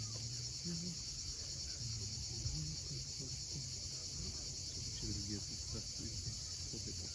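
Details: Cicadas sing at sunset above the steep sea coast at Cape Fiolent in Crimea, a steady shrill buzz held unbroken throughout, with short low chirping notes and a soft low rumble underneath.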